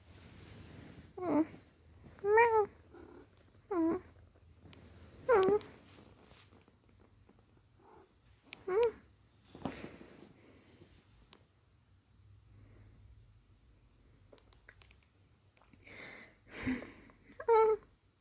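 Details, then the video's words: A pet cat vocalizing indoors in a small room: a string of short, tonal meows, each bending up then down, spaced irregularly over about eighteen seconds, with quiet gaps and a few faint rustles between calls. "Me and my cat making noises"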